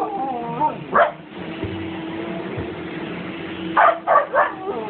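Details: Siberian Husky howling at a vacuum cleaner: a wavering tonal howl at the start, then short vocal bursts near the end over the steady hum of the running motor.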